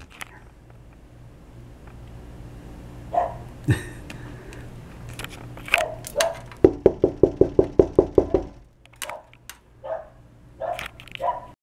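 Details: Dogs named Bill and Stella barking indoors: scattered single barks, then a rapid burst of about ten sharp, evenly spaced barks, followed by a few more spaced barks, with a person's voice saying "hey, stop it".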